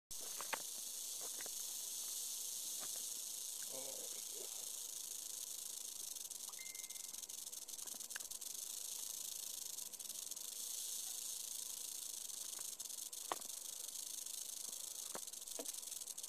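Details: Captive yearling western diamondback rattlesnake rattling. A steady, dry, high-pitched buzz runs without a break through the whole recording, with scattered faint clicks and taps.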